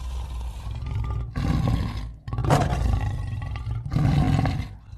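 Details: Lion giving deep, growling roars in three strong surges with a low rumble carrying through the gaps between them.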